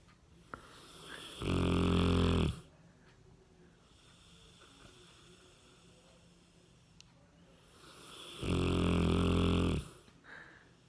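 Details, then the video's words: Cane Corso named Ram, weighing 60 kg, sleeping soundly indoors and snoring: two deep, rasping snores of about a second each, roughly seven seconds apart, with quiet breathing between them. "Собака породы Кане-Корсо храпит!"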